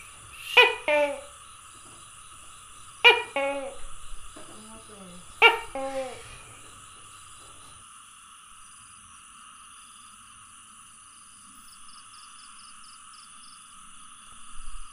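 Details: Tokay gecko calls recorded on 27 May 2020, three sharp double-note barks in the first six seconds, spaced roughly two and a half seconds apart, then near-silence with a constant high-pitched hum in the background.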